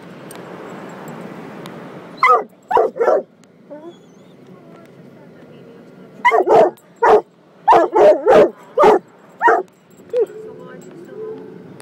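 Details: Inside a car wash, coonhound mix Gunner barks protectively, starting amid the roar of spraying water, then delivering clusters of sharp, loud barks with short gaps, ending on a softer whine.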